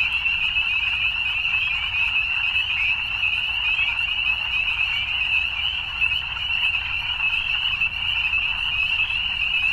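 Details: Evening frogs calling in a dense, unbroken chorus: a shrill, high trilling band that holds steady for the whole stretch, many voices blending without clear pauses, with a faint low rumble underneath.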